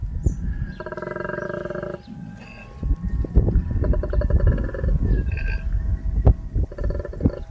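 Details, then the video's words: Wild male koala at an Australian homestead growls in anger. Harsh, buzzy, pulsing bursts of about a second each come three times with gaps between them, over a low rumbling background. "I know this is a male because he growls. Angry."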